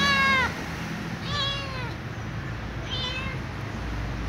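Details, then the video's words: Ginger kitten-sized cat whining for dry food: three meows, a loud bright opening one, then two softer drawn-out cries, with low hum underneath. "The little ginger cat meows and whines for something, namely dry food"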